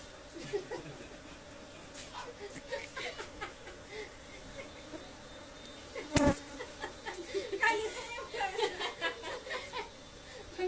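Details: Honey bees during honey collecting in the Khasi Jaintia area, giving a steady low droning hum throughout, overlaid by scattered clicks and taps, with people's voices and laughter breaking in over the last few seconds.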